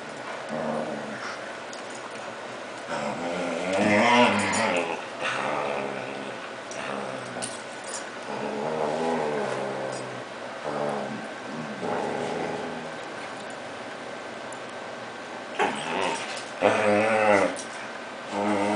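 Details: Six-month-old Whippet, son of another Whippet, excited on hearing a familiar name indoors; drawn-out harmonic whining and moaning vocalisations in several bursts, with a woman's voice talking between them.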